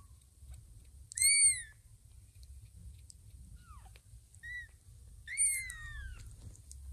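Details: Tiny kitten about two weeks old searching Ginger's fluffy belly for milk, taking her for mother cat Lima: two loud high-pitched mews that arch and fall, separated by softer, shorter squeaks, with a low room hum beneath.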